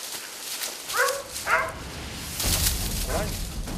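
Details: Hunting dog barking during a wild boar hunt in South Korea, startling a water deer that ran toward the hunting team; a few short yelping barks that rise then fall, with men talking and rustling footsteps.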